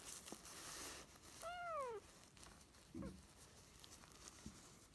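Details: Small tortoiseshell kitten, one of a pair of foster kittens taken in spring 2017, gives one clear arched meow that rises and falls, followed by faint rustling and light taps indoors.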